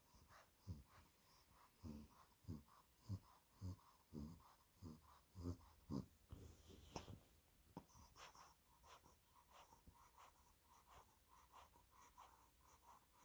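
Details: Sleeping two-month-old female Olde English Bulldog puppy named Spaghetti, Exotic Blue Merle Tri coat, gives low, rasping snorts repeated steadily about every 0.6 seconds for seven seconds, then fainter rustling breaths in a small indoor room.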